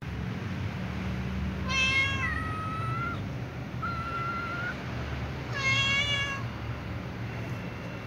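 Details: Calico cat meowing before walking off with other cats to eat together: three clear, harmonic meows, the first and last loud and slightly falling, a softer flat one between, over a low steady hum.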